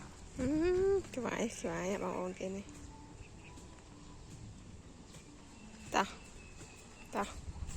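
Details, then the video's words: Dogs in the evening: a long rising whine, then a quick run of short wavering yelps, followed by quiet with a few sharp knocks. "Evening with dogs"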